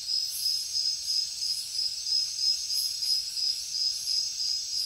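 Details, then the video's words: Crickets chirping at night in the jungle: a steady, shrill, high-pitched trill runs throughout, with fainter pulsing chirps layered above it at an uneven rhythm; no other sounds stand out. "Insects sounds | Cricket sounds |Jungle night"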